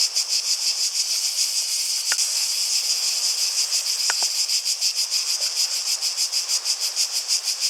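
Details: Cicadas keep up a shrill, quickly pulsing buzz while a few short, sharp clicks or knocks break in near two and four seconds.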